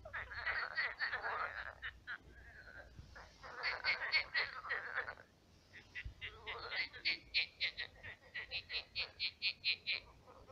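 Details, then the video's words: Frogs calling at night in a shallow pond now turned to swamp; dense rattling croaks at first, then a clear string of short, evenly spaced pulsed croaks, roughly three per second. "Кваканье лягушек. Лягушки квакают."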